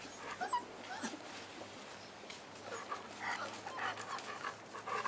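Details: Five-week-old Boerboel puppies with their mother Cleo, giving soft, thin whimpers and short high yips scattered through the stretch, with light panting and rustling between them.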